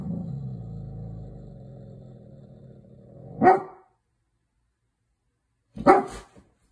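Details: A Golden Retriever looking out the window with a cloth in its mouth gives a long, low rumbling whine fading over a few seconds, then two short, muffled barks a couple of seconds apart.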